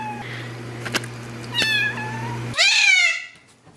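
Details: Domestic cat meow used to attract cats and make a cat come to you: faint tonal squeaks, then one loud, bright meow near the end that rises and falls, over a low steady hum.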